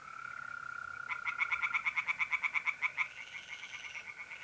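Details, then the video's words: North-east Italian pond on a mid-April night: one tree frog breaks in with a fast train of about a dozen sharp pulsed croaks over two seconds, set against the constant buzzing trill of mole crickets. "relaxing singing tree frogs in pond and trilling mole crickets by night"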